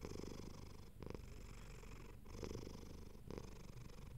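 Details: Domestic cat purring contentedly while being petted and comfortable: low continuous rumbling purr with rhythmic pulses, swelling and easing with each breath about every second.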